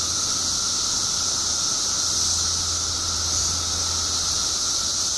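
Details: Mass emergence of periodical cicadas in Illinois after seventeen years below ground, heard as a constant shrill wall of buzzing with a steady lower drone layered in and a faint low hum in the background.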